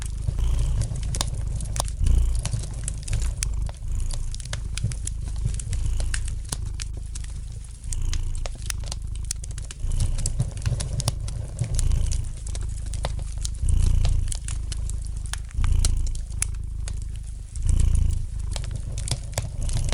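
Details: Continuous soft purring from a domestic cat, a low vibrating drone pulsing with its breathing, set against steady light crackling and occasional louder pops from a fireplace.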